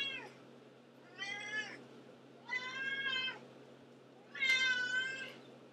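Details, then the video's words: Antigone, a domestic cat that meows constantly, calls in four separate meows spaced about a second apart, each short and tonal, the last loudest and brightest, over a faint electrical hum. "Antigone the Meower"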